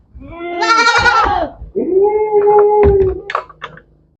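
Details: A goat on a goat farm gives a loud wavering bleat, then a longer steady nasal bleat, followed by a few short knocks.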